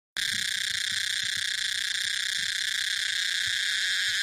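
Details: Tosena albata cicada, in a recording mixed with various cicada species: a loud, unbroken droning buzz with steady high ringing tones, holding level throughout after a sudden start.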